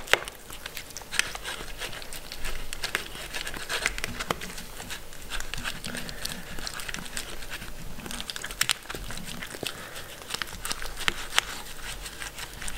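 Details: Mindy, a pet Shetland Sheepdog (Sheltie), eating food indoors: irregular crunching and clicking bites scattered through the recording, with soft chewing noise in between.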